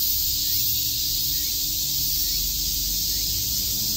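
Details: Summer day in Shakujii Park, Tokyo, with cicadas chirping as a continuous shrill, sizzling wall of sound that never pauses, over a quiet steady hum and light low background rumble.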